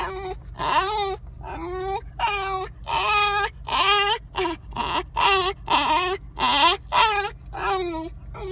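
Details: A Basenji that gets anxious in the car gives yodel-like whines, rising and falling in quick bursts, over a low engine hum.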